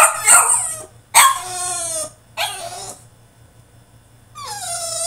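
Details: French Bulldog throwing a tantrum in his cage, a run of loud shrill yelps and drawn-out, wavering whines that fall in pitch, with a brief pause before a final rising-then-falling cry.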